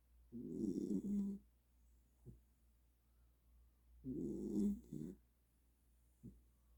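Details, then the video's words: Welsh Corgi snoring in deep sleep after an energy burst: two low, rasping snores, each about a second long and roughly three and a half seconds apart, with a short soft breath after each, in a quiet indoor room. "웰시코기 ◇코골이수술해야되나~ㅋㅋ 에너지폭발후 꿀잠"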